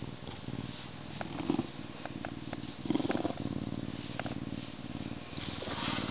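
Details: Captive Canada lynx, a zoo-born male educational animal ambassador, purring while being scratched before his meal; steady low rumbling purr with brief louder surges and a few faint clicks indoors.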